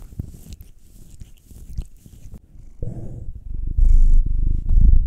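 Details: Domestic cat purring while being massaged, one of two pets: a nine-year-old male black cat or a two-year-old female tortoiseshell Munchkin; soft indoor rubbing at first, then a deep, steady rumbling purr swells in the final seconds.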